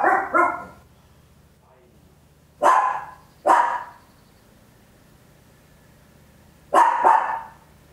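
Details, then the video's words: A Papillon, a tiny dog, barking very loud at home: sharp barks, a quick double bark, then two single barks and another close pair, each burst short and mid-pitched with quiet gaps between. "Tiny Dog Barking Very Loud, Papillon"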